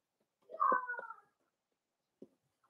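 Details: Four-week-old Cavalier King Charles Spaniel puppy indoors in a home puppy pen, during a day of meeting other dogs and trying puppy mash; one tonal, falling whine under a second long, then a soft thump.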